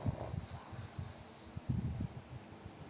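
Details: Fat pet pug sleeping and snoring loudly, heard as low, rough snorting pulses in short bursts of breath, several per second in clusters, with a quiet room behind.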